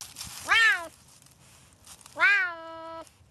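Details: Serval, an African wild cat, giving a clear meow; two bright, cat-like calls that sweep up sharply then level off, the second held nearly a second, in a quiet setting.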